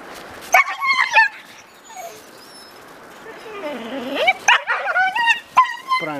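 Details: Sobol, a male stud dog, pushy and persistent toward the visiting female Taina, who first lets him near and then fights him off; short harmonic yelps and whines come in bursts, mixed with a person talking over them.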